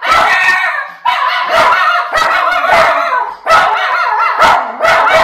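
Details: Miniature Schnauzer brothers Levi and Lucky in Aroostook County, Maine, going out of control at a package delivery by an unfamiliar driver: loud, harsh barks in rapid bursts, about five volleys with brief gaps between them.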